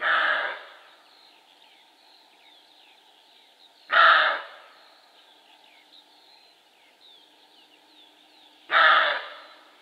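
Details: Male roe deer barking: three harsh, hoarse, explosive barks, each about half a second and fading quickly, spaced roughly four to five seconds apart, with faint bird chirps in the quiet between.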